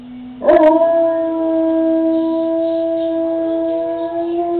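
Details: Domestic Doberman singing along with the dinosaurs on Jurassic Park, starting on a lower note, then jumping abruptly into a long, unwavering howl held smoothly for over four seconds.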